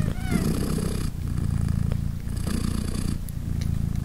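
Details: Low, continuous purring from Polina, a British Shorthair mother cat nursing three newborn kittens three days old; the rumble swells in breathy bursts about every two seconds, with a faint high kitten squeak at the opening.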